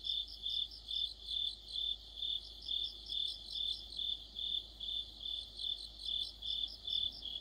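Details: Autumn insect chorus led by crickets: high, pure pulsed chirps repeated about twice a second in a steady rhythm, with fainter overlapping trills from other insects above, evenly sustained throughout.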